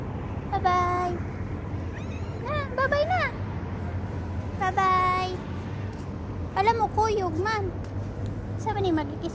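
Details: Street cats filmed in November 2023 give several drawn-out meows, some level and others wavering, spaced a few seconds apart over low traffic rumble, with a person speaking softly nearby.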